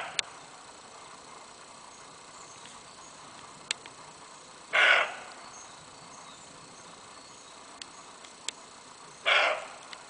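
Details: In daytime in February 2012, a roe deer buck in the trenches around Fort Skała, now the Kraków Observatory, gives two harsh, hoarse barks about four and a half seconds apart; faint clicks break a quiet background.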